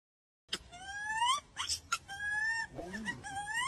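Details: Barbary macaque calling: a series of clear, whimpering, rising tonal calls, each lasting about a second, with short rough noisy bursts between them.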